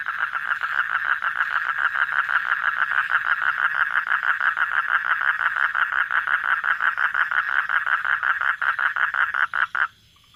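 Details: Nighttime frog chorus of steady, grating pulses repeated about three times a second for several seconds, cutting off abruptly into quiet at the very end.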